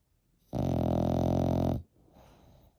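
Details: French Bulldog, eight months old, snoring: one loud, rough, buzzy snore lasting just over a second, then quiet breathing.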